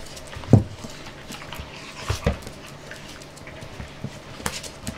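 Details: Jessie, a puppy of five months, in playtime: two loud low grunting huffs near the half-second and two-second marks, then softer breaths and scattered clicks over a quiet background.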